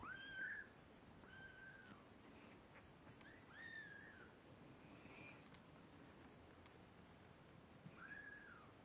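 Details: Two-week-old kittens, unsteady on their feet but beginning to walk, calling with thin drawn-out mews, each a flat-then-falling high cry, repeated irregularly about every one to two seconds with pauses, in a quiet indoor setting.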